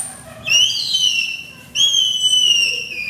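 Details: Baby African clawless otters in an aquarium enclosure in Ise, Japan, romping around while staff clean the air-conditioner filter, give two long, high, whistled squeals that slide slowly downward about a second apart, over faint background hum.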